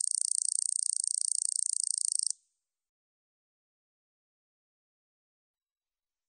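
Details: Katydid recorded by Korea's National Institute of Biological Resources in 2020: a dense, high buzzing rattle of rapid pulses lasting about two seconds, then silence with one brief click at the end.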